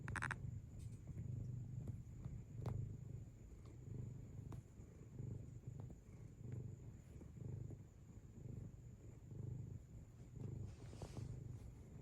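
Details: Pet cat kneading with its paws and purring; a deep, even rumble that swells and fades in a regular rhythm, with a few light taps and a brief rustle near the end.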